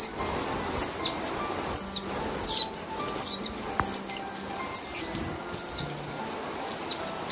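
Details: A baby otter, experiencing heavy rain for the first time, gives shrill whistled cries sliding steeply downward, repeated about every second over steady heavy rain hiss; it panicked and cried from fear of the rain.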